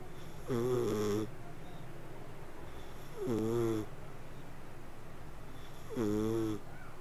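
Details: Sleeping domestic cat purring and snoring: three wheezy, tonal breaths with stacked harmonics, each under a second long, about two and a half seconds apart, with a soft hiss between.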